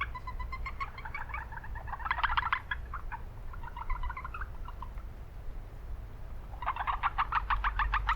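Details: Japanese brown frogs calling in an urban wetland: bursts of rapid pulsed notes around one to two kilohertz, several overlapping callers, with steady low city noise beneath.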